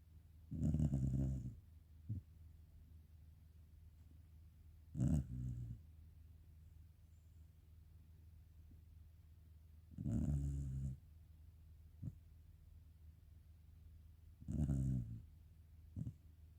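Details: Black Shiba Inu dozing and snoring quietly: deep, throaty inhalations recur roughly every four to five seconds, four in all, each followed by a small click or snuffle against a quiet indoor background.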